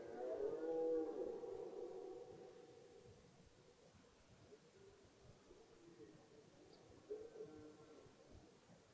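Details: Red deer roaring in forest at the onset of the rut: a loud harmonic moan opens the recording and fades, followed by a softer, distant roar later on. Quiet background with faint ticks.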